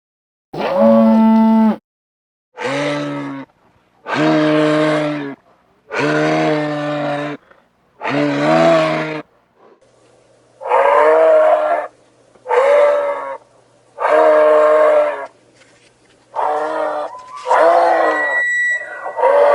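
A moose gives a series of deep, nasal moaning calls, each lasting about a second.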